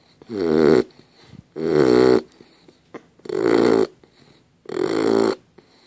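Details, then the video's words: A sleeping dog named Dozer snores in four long, harsh, throaty pulls about every one and a half seconds, each swelling and then cutting off, with quiet breathing between. "Dozer snoring"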